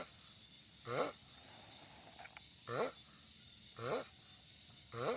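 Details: Giant sulcata tortoise vocalizing loudly in four rasping, harmonic grunts roughly one second apart, each swelling and fading quickly, with faint small noises and a constant background hum.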